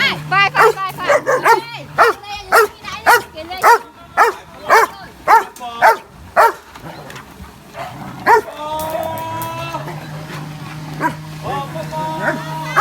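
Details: Playful dog barking outdoors, a steady run of sharp barks for several seconds, then people chatting in Khmer over a low hum, with a few scattered barks later.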